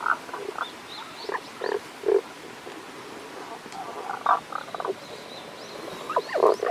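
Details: At a Kanto-region stream in Japan on 1 April 2021, a hidden Tago's brown frog gives scattered short, rasping croaks in loose clusters, with thin high whistled sounds faintly in the background.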